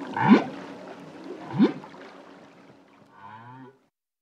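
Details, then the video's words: Song phrases from a solo male humpback whale: two sharp rising whoops about a second apart, then a lower bubbling, warbling phrase that fades out. "Humpback Whale. Song From Solo Male, Deep, Bubbling And Whooping Phrases"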